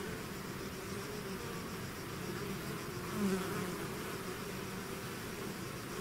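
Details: Bee swarm departing its hive, a steady dense hum of countless wings, broken just past three seconds by one bee flying close with a louder, slightly higher buzz.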